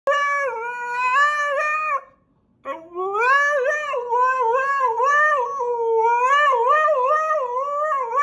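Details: Puppies howling loudly in long, wavering, tonal cries that rise and fall. After a short pause near the two-second mark, the cries resume and continue steadily, with no other clear sounds.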